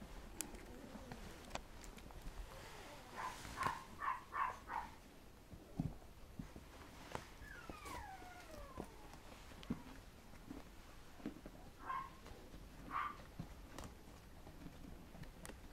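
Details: Toddling red male Poodle puppy: a burst of four rapid high yips, then a drawn-out whine that slides up and down, followed later by two single squeaks, amid soft padding and tapping noises.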